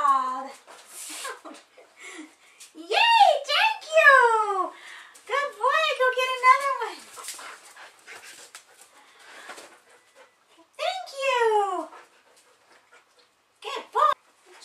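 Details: Border Collie indoors, excited while helping with the laundry by fetching old gym clothes: a series of arched, whining, yodel-like calls with rising then falling pitch, in bursts of a second or two, with a person talking in between.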